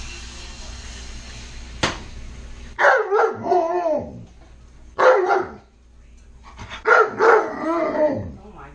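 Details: Pet Malamute Tonka asks for food while french toast is made: a sharp click, then a run of drawn-out, wavering woo-woo calls with bending pitch, three separate phrases across several seconds indoors.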